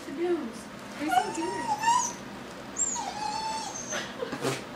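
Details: A dog cries for a balloon, whining in long, thin, slightly rising whimpers, two drawn-out cries about two seconds apart, with faint voices in the background.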